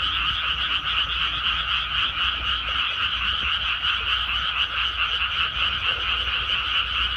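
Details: Many frogs croaking together in a paddy field once rice planting is finished, forming a continuous, throbbing wall of rattling calls with no pauses, over a soft low hum.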